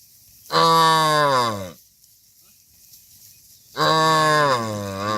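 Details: Tame cattle being herded back to a farm pen; two loud, long harmonic moos, each about a second long, the pitch sliding gently downward, separated by a quiet pause with faint background rustle.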